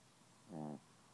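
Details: Gidget the Chihuahua, asleep and refusing to wake up, gives a single short snore lasting about a quarter second with a tonal, buzzy quality, set against a quiet indoor background.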